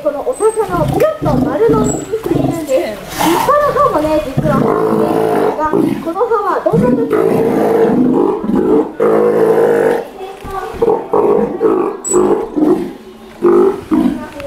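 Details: One-year-old Steller sea lion at an aquarium in Ise, playful and free-spirited: loud, harmonic, moaning roars repeated in bursts, some long and sustained, with a few higher bright tones and possible human voices in between.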